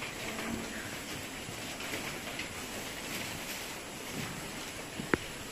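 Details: Soft hissing outdoor background noise, like light rain, continues throughout with one sharp click near the end and no animal voice.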